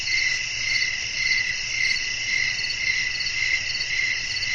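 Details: Crickets singing after dark amid a gentle wind; bright, buzzy high chirps repeat at an even pulse under two per second over a layered insect hiss and faint low background rumble.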